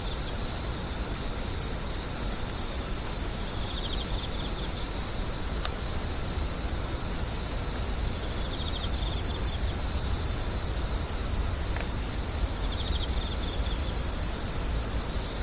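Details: A constant piercing insect drone runs the whole time, with short pulsed trills swelling underneath at intervals, two sharp clicks, and a soft low rumble in the background.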